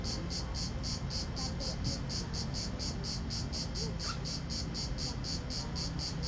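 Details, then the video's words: Last cicada of the season, recorded on a Nokia N73 mobile phone at Vello, province of Brescia, on 4 September 2010 at 16:04: high, rasping pulses repeated steadily about four times a second over a low background rumble. "ultima cicala 2010 vello"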